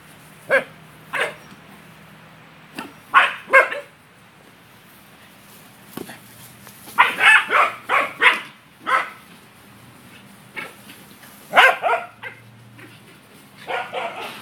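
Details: A male corgi works a loose yellow ball as if herding it, barking in repeated bursts, some as rapid doubled or tripled volleys, others single and spaced apart, over a low constant hum.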